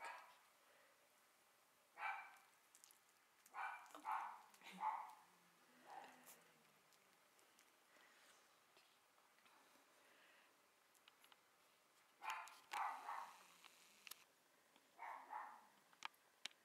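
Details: Young Cavalier King Charles Spaniels from a litter born 29 June 2015: scattered soft yips and whimpers come in clusters of two or three, separated by quiet gaps. Faint clicks and rustling are heard between them.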